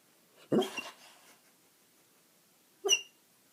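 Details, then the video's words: Sleeping basset hound snoring indoors: a loud, rough breathy snort with a brief nasal whistle, then about two seconds of quiet before a shorter, higher whistling snore. "Snoring basset hound"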